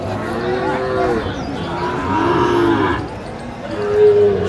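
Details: Sahiwal bull calves at the Aftabganj cattle market in Kurigram, Bangladesh, on 16 March: drawn-out harmonic moos near the first and third seconds and a shorter one near the end, over a steady murmur of market voices.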